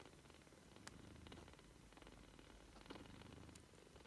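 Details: British Shorthair kittens, 3 weeks old, purr with a low, steady rumble, broken by soft clicks and rustles.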